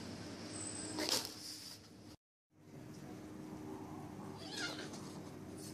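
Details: Bengal kittens sparring in play at a pet shop in Kuching, Sarawak, Malaysian Borneo; two short, breathy, hiss-like bursts, one near the start and one later, separated by a brief silent gap, over a steady low indoor hum.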